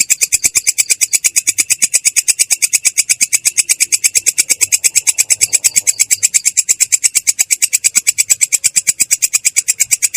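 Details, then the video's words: Rolling "ngerol" song of a katydid (belalang kecek), clear yet coarse: an unbroken, machine-like series of rapid, high, rasping clicks at a steady rhythm throughout. "belalang kecek ngerol!!! suara jernih kasar"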